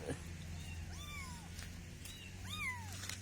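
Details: Kittens during playful, funny moments give two soft, drawn-out meows that rise then fall in pitch, spaced about a second and a half apart, over a low steady hum with a man's voice nearby.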